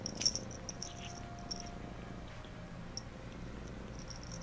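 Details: Low continuous cat purr during a bath as Phoebe gives Phluffy a bath, overlaid by faint high clicking and squeaky ticks scattered through the recording.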